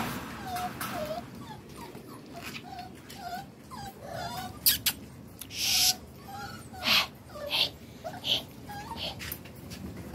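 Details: Medium-size puppies rescued from the street, in southern Lazio, Italy, squeak with thin, high whimpers repeated about once a second, broken by loud rustling and handling bursts.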